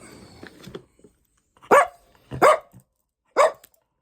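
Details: Indoors in the morning, while birds sing outside and the dogs wait for a duck jerky treat, a dog gives three sharp, loud barks about a second apart after soft murmured words; dog.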